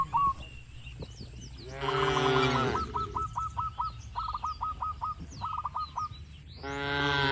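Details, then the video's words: Dozens of tame cattle mingle in a farm pen; a loud, drawn-out lowing moo rises midway and another begins at the end, while short hooked chirps repeat rapidly between them. "Banyak Sapi lembu di Kandang Peternakan 😄 | Suara Moo Menghibur!"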